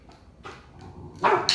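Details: A 3-month-old male Rottweiler puppy in command training gives a single short, sharp bark on the "speak" command after a quiet moment, and is praised afterwards.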